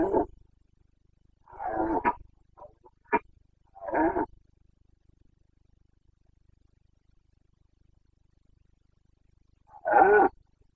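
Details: Carpathian stag's boncănit, the rut roaring of Bucovina's mountains, Romania, September 2022. Hoarse bellows and clipped grunts cluster in the first four seconds; silence follows, then one more rasping roar.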